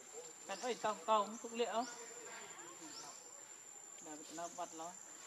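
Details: Hungry baby monkey Leo begging its mother for milk: a quick run of short, harmonic, whimpering cries early on, a pause, then a softer cluster of whines, with insects sweeping faintly behind.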